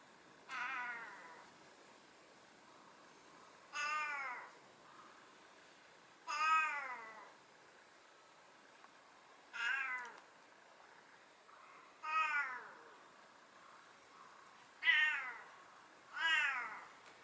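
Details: A talkative tuxedo (hachiware) house cat meows seven times, each call a short rising-then-falling wail repeated every two to three seconds in a quiet room.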